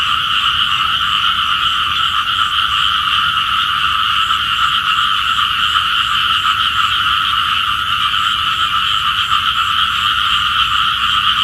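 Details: A dense, steady chorus of many small frogs calling together in a continuous high trilling drone in the early morning at the head of Phutthamonthon Sai 1 road, Thailand, heard as frogs calling for rain.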